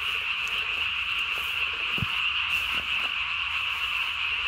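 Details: Japanese tree frog at night, 3 May 2020, chin vocal sac inflated nearly as big as its body, sustaining a dense high-pitched trilling croak with no other sounds.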